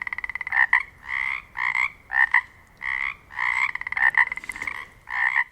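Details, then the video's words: Pacific chorus frogs calling in the Pacific Northwest, a chorus of raspy two-part croaks, several overlapping voices pulsing in bursts roughly every half second, steady and loud with a quiet background. "Sounds of the Northwest: Pacific chorus frogs"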